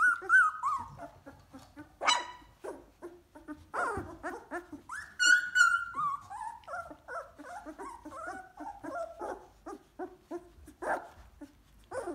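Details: Two-week-old Golden Retriever puppies in their whelping box, moving about on wobbly legs, give a busy stream of high squeaky whines and yelps, some long and wavering, overlapping quickly with short soft squeaks between.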